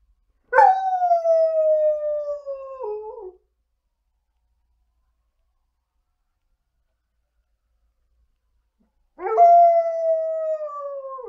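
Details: A female Alaskan Malamute lounging on the couch gives two drawn-out howls nearly six seconds apart, each starting with a sharp onset and sliding gently lower, with quiet between them.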